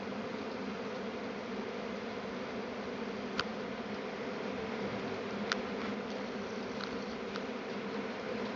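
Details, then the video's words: Honey bees swarming in Tasmania make a steady, unbroken low hum at an even level. Only a few faint sharp ticks and brief high chirps break through the drone. "Bee Swarm in Tasmania"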